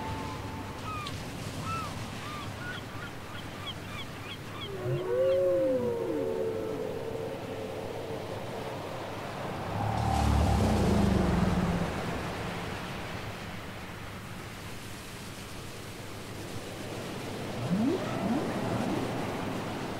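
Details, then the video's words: Whale song from a cassette recording: overlapping tonal moans, arching upsweeps and downswept wails at low and middle pitch, with a loud low rumbling surge midway and another group of rising calls near the end, over steady underwater hiss. "Les chants secrets des baleines"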